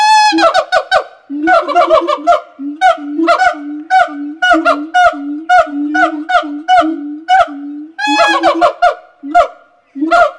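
A gibbon gives loud, hooting notes in a fast rhythmic series, some sliding upward.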